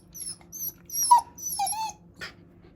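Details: Shiba Inu indoors, whimpering while searching for its sister; faint thin squeaks followed by two louder, falling whines and a short breathy sound at the end.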